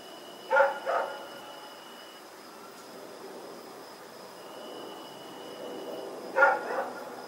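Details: Rex, a dog running around at night in Pyrga on October 7, 2018, gives two sharp double barks, one near the start and one near the end. Quiet stretches fill the gap, with steady high thin tones humming throughout.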